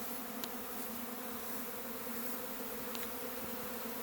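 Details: Honey bee swarm leaving the hive and taking flight: a dense, steady droning hum of countless wings, even and unbroken for four seconds, with a couple of faint sharp ticks above it.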